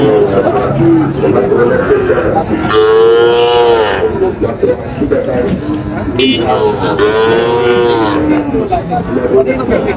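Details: At a Barishal cattle market on 21 July 2025, Sahiwal cattle low twice, each a drawn-out, slightly rising moo about a second long, separated by several seconds of bargaining voices and general crowd noise.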